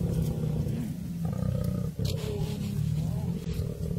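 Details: Lion pride in a fight for survival against a buffalo herd; deep, continuous rumbling growl with a harsh, pulsing, grainy texture, loud throughout with a brief dip midway.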